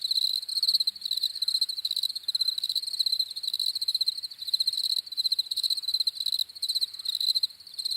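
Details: Several crickets chirp together in an overlapping, continuous high-pitched chorus of pulsing trills, rising and falling slightly in loudness, with faint low background rustle.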